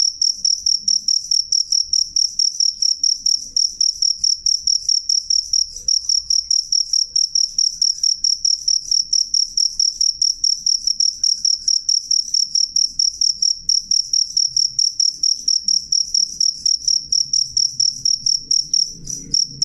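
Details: Cricket giving a clear, loud sound: a steady run of short, high, pure chirps, about three each second, ringing with a faint higher overtone. A soft low rumble sits underneath throughout.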